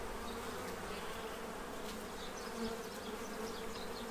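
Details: Bees feeding to prepare for winter in Central Illinois; a soft steady hum of wings under a hiss of higher background noise, with faint scattered chirps.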